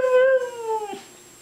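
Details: A Siberian Husky, coaxed to say "I love you," gives a short howling vocalization with strong harmonics. It holds level briefly, then slides gently downward and breaks off after about a second.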